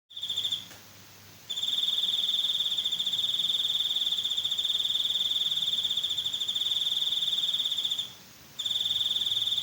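A cricket trills steadily in a high, pulsing, ringing tone, with two brief pauses.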